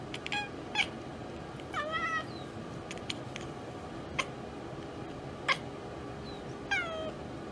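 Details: A house cat that has spotted prey it cannot reach gives quiet, scattered clicks and a few short, bent chirps that fall away in pitch. The calls sit faintly above a constant background hiss.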